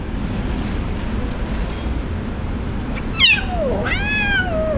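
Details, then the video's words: Abandoned kitten left by its owner, crying on the street: a steady rumble of traffic, then a high mewing cry that swoops down and is followed by a longer wavering meow that slides lower. "Abandoned Kitten Crying At The Street"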